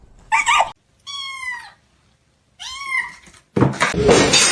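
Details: Kitten making two clear meows separated by silence, the first steady and slightly falling, the second arching up then down, bracketed by short bursts of clattering noise.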